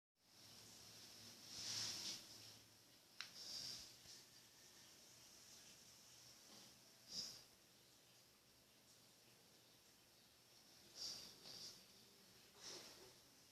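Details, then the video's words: A pet dog snoring indoors: soft, breathy, hissing snores come at irregular intervals, about five in thirteen seconds, over quiet room hum. "Snoring dog funny"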